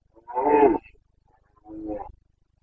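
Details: Rutting Carpathian red deer stag, Bucovina, Romania, breeding season, 29 September 2022, giving two deep, harsh roars: a loud, strained bellow followed after a short pause by a weaker, lower groan.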